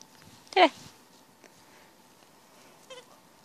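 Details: A small Corgi playing with his favourite blue squeaky ball on the way home from training gives one short, sharp, bright bark, then after a quiet stretch with a faint hum, a much softer yip.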